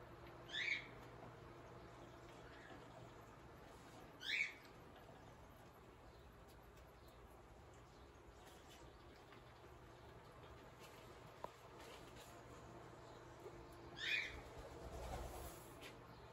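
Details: Guinness, a male kinkajou, eating his breakfast of a peanut butter sandwich; three short, bright squeaks rising and falling, spaced several seconds apart, over a quiet steady background hum.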